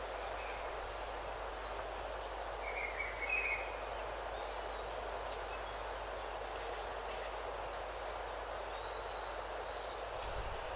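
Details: Two loud, sustained high whistles from a buffy-headed marmoset, one near the start and one at the close, each flat then falling away. Fainter high notes and soft chirps fill the quiet gap between them.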